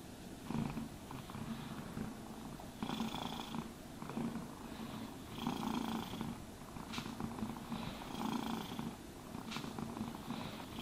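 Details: Cat being groomed with a brush, purring in an even, throbbing low drone while rhythmic brushing sweeps recur about every two to three seconds; nobody speaks.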